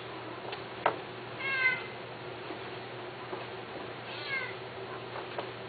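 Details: Domestic cat, one of several male cats offered for sale, gives two short harmonic meows, the first near one and a half seconds and a fainter one near four seconds, with a few clicks and a steady low hum indoors.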